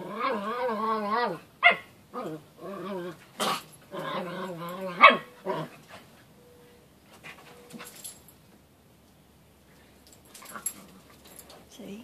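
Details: Pet Miniature Pinscher giving a series of drawn-out, whiny harmonic barks and yelps over about six seconds, then quieter scuffling and faint household sounds.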